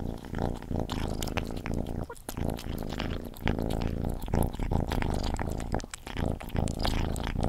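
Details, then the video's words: Pet cat Gordy at his food, recorded up close: continuous deep purr-like rumble under rapid crunchy chewing and licking clicks, briefly quieter around the second and sixth seconds. "Cat Gordy Eating ASMR"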